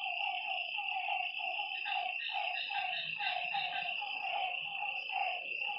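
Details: After dark beside a lake, frogs give steady runs of short croaking notes, several voices interleaving, while a shrill continuous insect drone fills the background.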